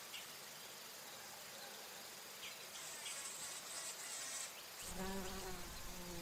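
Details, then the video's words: Bumblebee flying among flowers while feeding on nectar: a loud, low droning hum with rich overtones swells in during the last second and a half, over a steady hiss of high insect noise. "Bee humming / buzzing sounds | Bumble"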